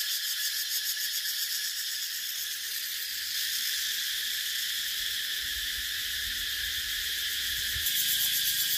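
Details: Loud cicada chorus, a high electric-sounding buzz with quick pulses, swelling slightly louder partway through and again near the end, over faint low rumbling.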